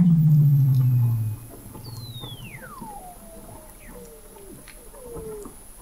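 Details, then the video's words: Weddell seals under the sea ice of McMurdo Sound, Antarctica, recorded November 2017 at 21 m depth: a loud low buzzing tone at first, then a whistle swooping downward in steps and short falling chirps, with a steady high tone throughout. "Song of the Antarctic Weddell Seal"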